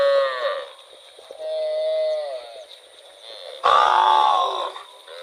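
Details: Cow in rural rice fields moos repeatedly: a short call, then a longer level moo, then a loud strained bellow, with a faint steady high tone behind.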